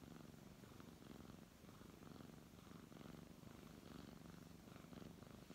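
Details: Brown tabby cat purring while being stroked indoors; a steady low rumbling purr with rhythmic pulses of breath-like swells about every second, plus soft rustling of fur under the hand.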